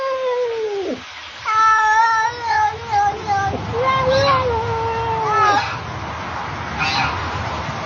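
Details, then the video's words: A cat meows: one short falling cry, then a long, wavering, yowling meow lasting about four seconds, with a human voice and low background rumble after the calls end. "Funny Cat sound"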